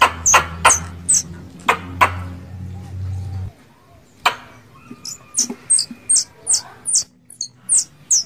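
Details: Lure sound of a squirrel calling to mate: loud sharp clicks over a low hum for several seconds, then a fast train of high, thin squeaky chirps about three per second.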